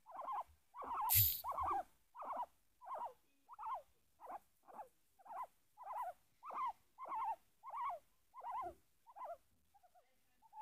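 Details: Peeta the pet guinea pig sharing quality time and nibbling a chin: a long, regular run of brief bright squeaks, roughly one every 0.6 seconds, with a single loud bump or rustle near the start.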